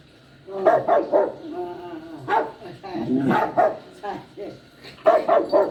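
A poodle puppy cries in short, high, quavering yelps, often in quick bursts of three.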